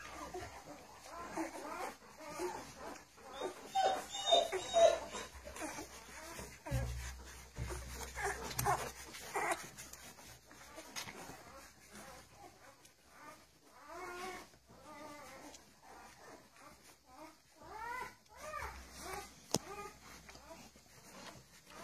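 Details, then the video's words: Fifteen-day-old puppies in a litter, giving soft repeated whimpers and squeaks at irregular intervals, about two per second, mixed with low human speech and household noise. "chiots de Charlotte et Mayley J+ 15"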